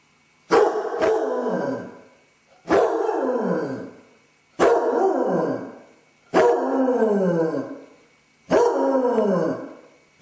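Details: A Basset hound with separation anxiety, alone indoors and filmed by a camera, gives five drawn-out howling barks roughly every two seconds, each starting sharp and sliding downward in pitch as it fades.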